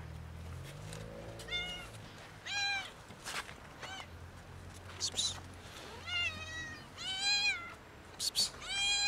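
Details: Domestic cats, a kitten and two adults, meow loudly to ask for food. Repeated arched, harmonic meows come in short bursts every second or so, with sharp clicks and a low background hum.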